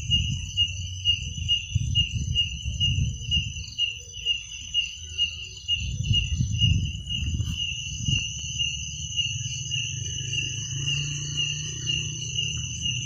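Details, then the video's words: High, unbroken cricket trilling at night, two thin steady tones throughout, with bursts of low rumbling noise rising and falling beneath them. "Suara jangkrik pada malam hari"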